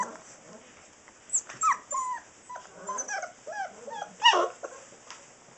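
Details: Saint Bernard puppies, six weeks old, whine and yip in a run of sliding, high-pitched squeals, some bending upward then down, with one loud sharp yelp near the end and quiet pauses between.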